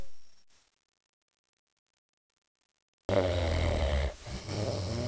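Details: A big dog named Bruce napping; after about three seconds of silence comes a low, rough, rumbling snore lasting roughly two seconds, dipping briefly midway before resuming.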